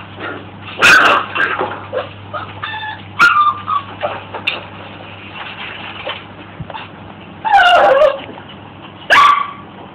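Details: Corgi indoors watching videos of other corgis on a computer, sniffing and tilting its head; short sharp barks and whining yips come in scattered bursts over a steady low hum.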